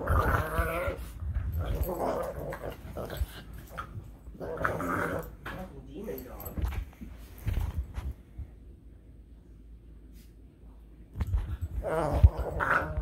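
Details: A Boston Terrier makes odd growly, whining noises in uneven bursts while playing, as a person speaks.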